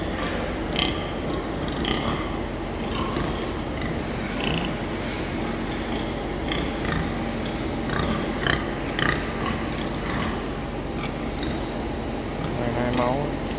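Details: Hand-picked gilt sows from southern Vietnam penned together; scattered low grunts and brief snorting bursts come every second or two over constant farm noise, with little talking.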